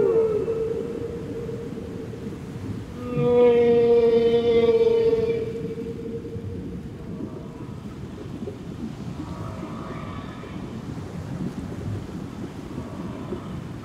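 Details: Underwater whale calls: a drawn-out mid-pitched moan, then a brighter harmonic-rich wail lasting about two seconds, followed by fainter distant tones amid constant low water rumble.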